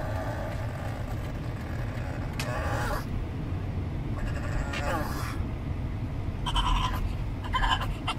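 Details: A pug on a car trip gives high, squeaky, dolphin-like whines in short bursts over a steady road rumble.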